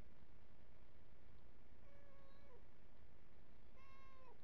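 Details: Cat drinking from a hose reel utters two meows: the first level then dropping sharply, the second higher and sliding downward, both over a constant low hum.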